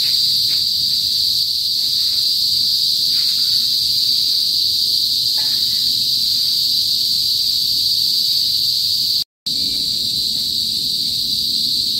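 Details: Kuliglig cicadas of the northern Philippine countryside singing before sunset, an intense continuous shrill buzz with faint scattered chirps beneath and a momentary cut in sound late on.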